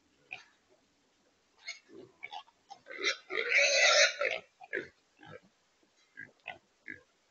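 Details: Wild pigs (feral hogs) caught in a corral trap in Texas: short scattered grunts and snorts, with a loud harsh squeal lasting about a second and a half in the middle.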